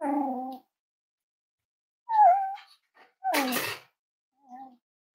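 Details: Indoor whining from five-week-old Cavalier King Charles Spaniel puppies of Myra and Remy: drawn-out tonal whimpers, one bending downward, separated by pauses, with a short harsher yelp in between.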